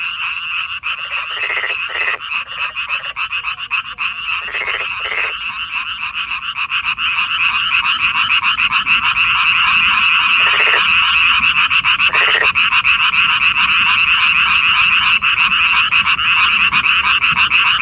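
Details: Korean frogs chorusing at night in May 2025: a dense, continuous high trilling wall of many callers, with scattered short lower croaks early on and the chorus swelling louder midway.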